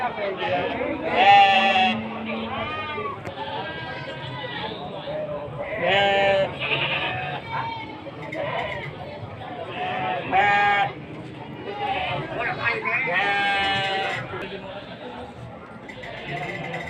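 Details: Goats at a midday animal market in Sumpiuh, Banyumas, Central Java, on 20 December 2025: several loud, wavering bleats at irregular intervals under steady crowd talk and traders calling out offers.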